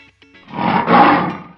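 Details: Lion roaring: a rough, broad, rumbling roar that swells for about a second, with background music before it.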